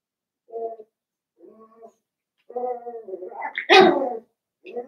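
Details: Seven-week-old Cavalier King Charles Spaniel puppies in an indoor home puppy pen: short tonal whines, then a longer, louder rising cry with a harsh edge, ending in one more brief whine.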